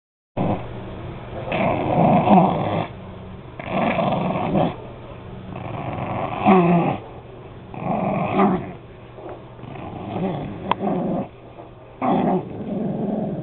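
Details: Pug named Harley growling indoors while biting slippers in play, low rumbling growls in bursts of one to two seconds, repeated with short pauses between them.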